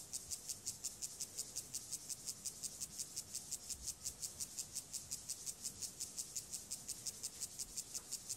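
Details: Gomphocerus sibiricus, an acridine grasshopper, during sexual behaviour: a dry, very high rasping stridulation pulsing evenly, nearly three strokes per second for the whole stretch, with no other clear sounds.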